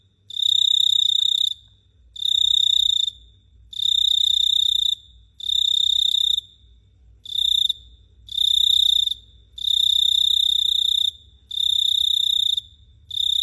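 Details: Cricket chirping at night in Phteah Prey: loud, shrill pulsed trills near one pitch with bright overtones, in bursts of about one to two seconds separated by short pauses, continuing steadily; faint low hum beneath.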